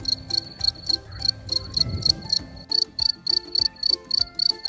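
A cricket gives rapid, high, trilled chirps, about three or four each second, over soft background music.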